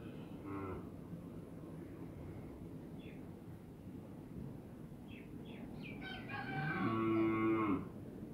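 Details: Dairy cow at a farm in Pabna, Bangladesh, where improved local and foreign breeds of cows and heifer calves are kept; a loud, low, drawn-out moo of about one second near the end, a fainter moo early on, and brief high chirps between them.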